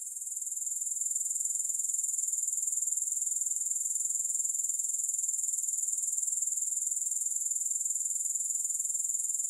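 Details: Soft at first, the grasshoppers' high-pitched pulsing trill swells within a second and runs on steadily at about four pulses per second, sharp and sizzling, without music or other noise.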